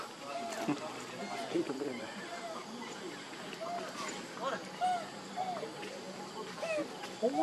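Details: Hungry baby monkey crying for milk, with Lucie and Libby both named in the milk dispute; repeated short arched, whining cries with rising then falling pitch, several per second in places, over a rustling background.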